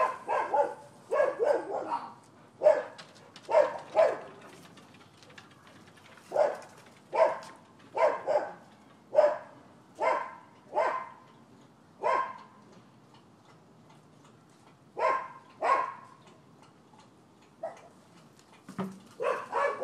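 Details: Neighbours' dogs barking at a Florida property on 12/7/15: sharp, mid-pitched barks in quick clusters of two or three, separated by short quiet gaps, with a final burst of barks near the end.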